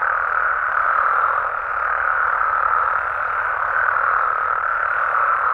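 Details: Mexican frogs and toads at night in natural surroundings, heard as a thick, steady chorus with no gaps or separate calls standing out, its level staying even throughout.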